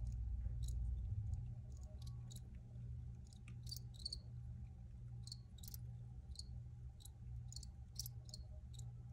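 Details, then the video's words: Crickets in an original field recording, giving short, high, scattered chirps in loose bursts over a steady low droning hum. "Free Cricket Sounds"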